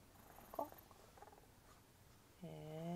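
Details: A sleepy pet Chihuahua fusses at bedtime, like a baby, then quickly makes up with its owner: brief soft noises, then a rising, nasal whine at the end, with quiet indoor room sound.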